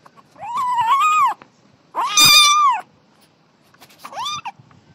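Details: Small kitten at play gives three meows: two long, drawn-out, strained calls of about a second each, then a shorter rising mew; quiet room.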